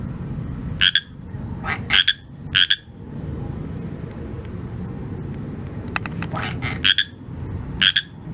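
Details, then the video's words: Pacific tree frog, also called Pacific chorus frog, calling at night: short two-part croaks repeated roughly every second, with bright ringing notes over a low steady background hum and a few faint clicks. "PACIFIC TREE FROG"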